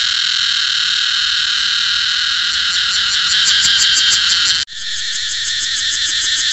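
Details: Cicadas buzz steadily in a loud, high, continuous whine with a rapid throbbing texture. The sound drops out for an instant about two-thirds of the way through, then resumes just as strongly.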